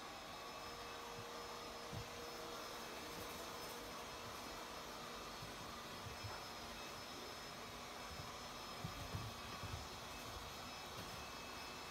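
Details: A steady broadband whoosh like a vacuum cleaner fills the recording, with a few faint knocks and no animal sounds.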